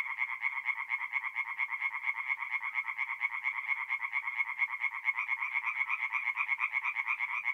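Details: Mid-April nighttime tree frog chorus from a forest pond in north-east Italy, with crisp, regular rasping croaks repeated about twice per second by several overlapping frogs.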